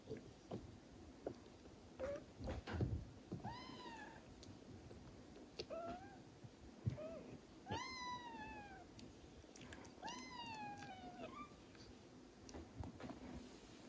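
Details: Traditional Siamese cats as a mother cat licks her young kitten to stimulate it to pee; a Siamese cat gives a series of high, clear mews that rise and then slide downward.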